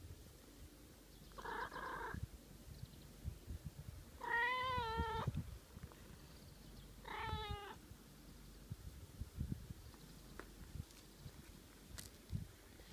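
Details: A pet cat coaxes its owner to keep stroking it. A short, flat first meow is followed by two longer, quavering meows, with soft rustling and a few clicks between them.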